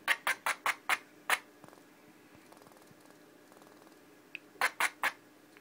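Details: Pinky, a pet female squirrel that turned upset after purring, gives rapid sharp barking bursts in a small room, a group of six, a pause with faint chatter, then three more.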